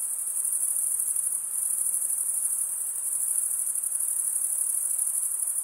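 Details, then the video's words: Male crickets stridulating, rubbing one wing across the toothed vein of the other, give a steady, very high-pitched shimmering trill that runs without pause across the whole stretch, with a faint hiss lower down. "Most relaxing cricket sound"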